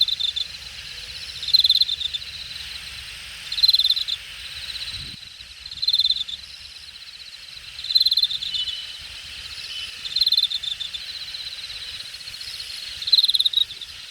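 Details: Insects chirping in the grass at Hangang Park's Jamwon district, Korea, late summer, August 2021: evenly spaced bursts of rapid pulses, about one every two seconds, seven in all, with a high sizzling accent and a low thump near five seconds.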